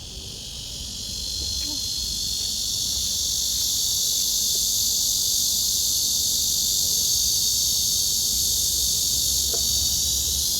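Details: A cicada's loud, continuous buzzing song swells in the first seconds, then holds steady, during cicada-collecting season in Korea, near a freshly molted cicada; cicada.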